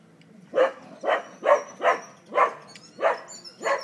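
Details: Two pet dogs, Kimbo and Mingo, a cocker and a three-month-old pitbull, tugging against each other in play: seven short, sharp barks in quick succession, roughly one every half second, with a faint high whine in the background.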